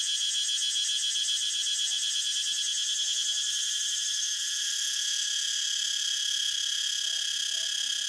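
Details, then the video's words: Cicada song: a steady, loud, high buzzing drone with fast pulsing in the top range, continuous throughout with no pauses and no other clear sounds. "Cicada sound so natural"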